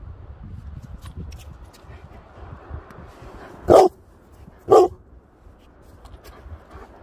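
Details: Female Leonberger on a beach, eager for her ball, letting out two sharp, loud barks a second apart amid steady rumbling background noise and faint clicks.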